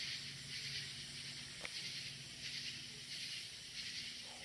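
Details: Crickets trilling at night in the woods, a loud continuous high buzzy wash with gentle pulsing swells, one brief click, and a faint low steady hum beneath.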